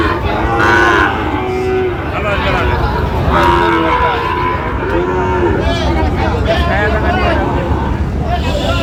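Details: Sahiwal bull calves at a Sylhet, Bangladesh cattle market, 26 September 2025: several overlapping moos, some rising then falling, one after another over a constant background of people talking and market bustle.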